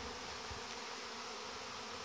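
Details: Young honey bees flying out in numbers on their orientation flight in August, near the hive entrances. A steady, broad buzz of countless wings without pauses, and a faint low thud early on.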